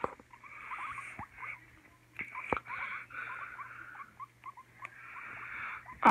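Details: Two pet guinea pigs named Oreo and Donut, which have been fighting for a while; scattered small chirping squeaks among rustling, with sharp clicks and a loud knock at the very end.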